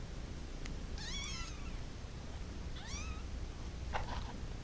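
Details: Cat meowing because it wants to go to its mother: two thin, high, wavering meows that rise then fall, about two seconds apart, over a loud steady hiss of background noise, with a soft rustle near the end.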